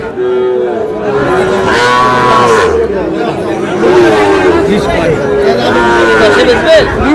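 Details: Sahiwal bull calves at a cattle market where Dhaka farmers buy stock, Bangladesh, 8 July: several overlapping, drawn-out lowing calls, some rising then falling, follow one another across the clip, with steady crowd chatter and shouting voices behind.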